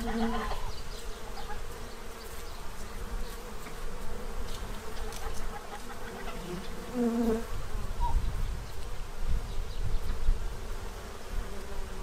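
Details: Swarm of bees feeding ahead of winter in Central Illinois; steady, thick buzzing drone throughout, with a couple of short goose or duck honks near the start and around the middle.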